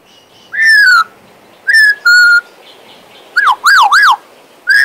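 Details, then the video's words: Pet Western Australian magpie whistling: clear, pure descending whistles near 2k, then a quick series of looping up-and-down whistled notes, with brief pauses between phrases. "My Western Australian Magpie Warbling, Whistling and Singing!"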